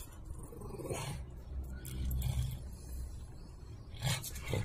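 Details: A female French Bulldog, who likes being teased and having things snatched from her, gives low, rumbling play growls while tussling over a toy.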